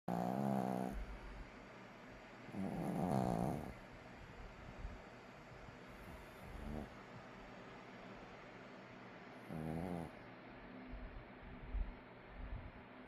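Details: Napping puppy snoring: soft, low rasping breaths in bursts around 0, 3, 6.5 and 10 seconds, with quiet steady background hiss between them.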